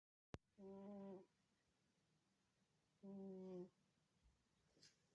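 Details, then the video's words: Domestic cat snoring loudly indoors: two harmonic, humming snores about 2.5 seconds apart, each lasting roughly half a second to a second, with a faint click at the start and a quiet room behind. "Cat Snoring loudly. Кошка храпит."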